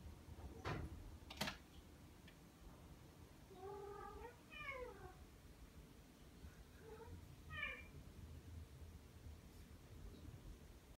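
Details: Ragdoll cats Ao and Aki, aged one year one month and ten months, come indoors to greet on waking on a slow morning. Two harmonic meows, a drawn-out wavering one and then a falling one, later a shorter pair, after two sharp knocks.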